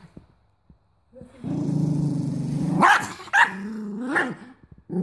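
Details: Stroppy male mini doberman filmed in Cyprus, showing his teeth and refusing the food his owner offers: a sustained low growl rises into two sharp, snapping barks, then a higher whining snarl.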